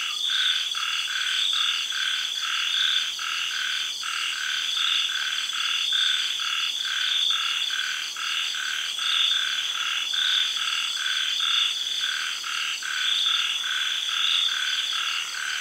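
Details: A dense night chorus of frogs gives rapid, rattling pulsed calls after sunset in a tropical garden in Thailand during the early rains, with cicadas and other insects humming steadily above.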